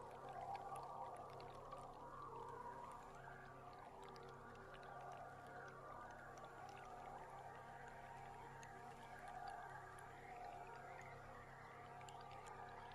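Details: Underwater recording of belugas from a boat on July 16: rising and falling whistles and chirps weave through a dense crackle of clicks, over a constant low droning boat engine.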